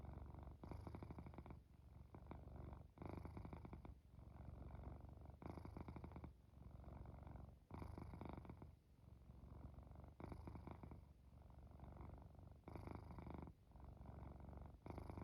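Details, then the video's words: Domestic cat purring and snoring while falling asleep indoors: continuous low rumbling purr in long phrases, each broken by short breath pauses roughly every two to three seconds, steady and close. "Immerse Yourself In This Cat Purring, Snoring and Falling Asleep"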